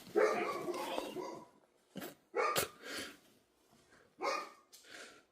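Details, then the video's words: Busy dog barking: a long rough burst at first, then short loud barks with brief gaps between them. "If you like dogs making noise"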